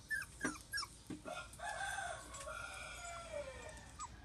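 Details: Playing Border Collie puppies, a new litter: sharp yelps open the recording, followed by a drawn-out whine and a long falling whimper, with occasional squeaks over low room noise.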